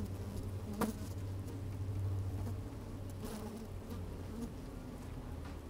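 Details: Honey bees working inside an open hive on a fine, sunny day, microphone slid down into the hive: a low, steady droning hum with brief louder buzzes and scattered clicks of bees moving about.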